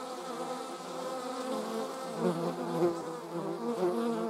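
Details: German wasps flying, a rich buzzing drone that rises in strength and wavers as individuals pass nearby, with brief louder bursts toward the end.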